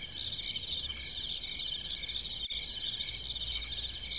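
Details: Crickets in the fields of a farm at night, high thin chirps pulsing rapidly in a dense chorus, briefly cut by a single sharp click halfway through.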